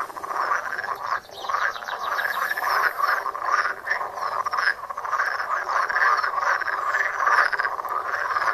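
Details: Frogs croaking at a pond, recorded on a Samsung Galaxy Note phone: a dense, continuous chorus of overlapping pulsed croaks from many frogs, steady throughout with no pauses and no other clear sounds.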